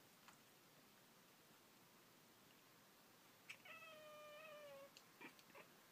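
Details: Pet cat Pringles calling while watching birds through a window; after quiet room noise, a single sustained, slightly wavering harmonic mew lasting over a second, followed by a few soft clicks and ticks.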